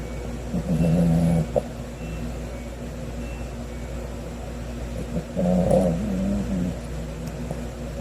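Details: Cavalier King Charles Spaniel puppy Sodam snoring through an afternoon nap on Sunday, 9 August 2020: two long, low, buzzing inhalations about four and a half seconds apart, over a constant background hum.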